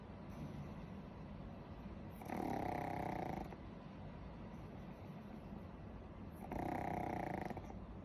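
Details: Sleeping pug snoring: two loud rasping snores, each lasting over a second and about four seconds apart, with quieter breathing in between.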